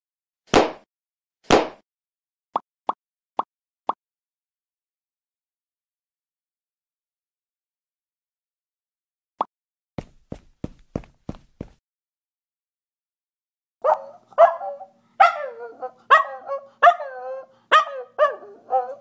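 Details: A 10-year-old male Miniature Schnauzer gives a run of short, wavering, yodelling howls after some sharp taps and clicks. The owner is unsure whether he is howling or singing.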